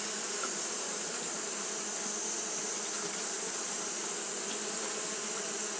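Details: On a hot day, Japanese honey bees fan constantly, giving an even, unbroken buzz beneath a strong steady high-pitched hiss, with no change in loudness.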